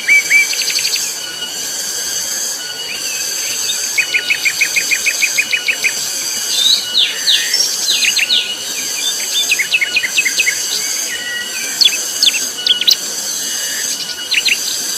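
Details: Tonggeret cicadas calling very loudly on Gunung Pabangbon make a continuous high, ringing buzz with a faint pulsing edge. Numerous birds add rapid trills, sharp chirps and rising whistles on top.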